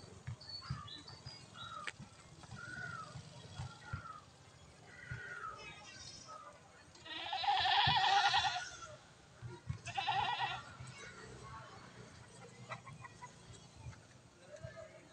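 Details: Goats kept by a friend: a loud, wavering bleat lasting about a second and a half, then a shorter bleat two seconds later, over faint background noise and quiet talk.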